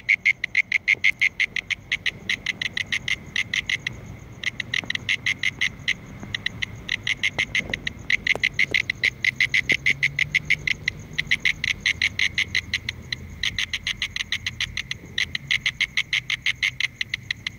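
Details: A mole cricket (Gryllotalpa sp.) calling gives a steady, rapidly pulsed buzzing trill, a little less than one pulse a second.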